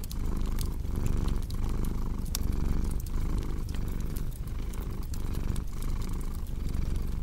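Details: Low rumbling cat purr with a regular breathing rhythm, brief dips roughly every 0.7 seconds, and the snapping crackle of a log fire throughout.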